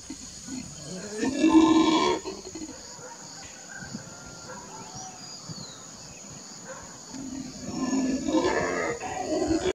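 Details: Black howler monkey (Alouatta caraya) giving deep, harsh roaring howls in two loud bursts.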